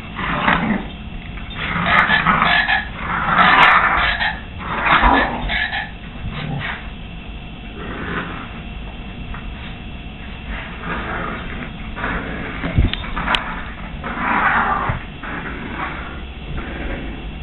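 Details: Two American Staffordshire Terriers roughly playing with a stuffed toy, giving irregular bursts of rough, noisy growling and snarling with short pauses, mixed with scuffling and toy-handling noises.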